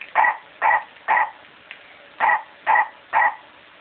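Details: Dog attacking a toy, giving six short, clipped, fairly high barks in two sets of three, each set evenly spaced, with a brief pause between the sets.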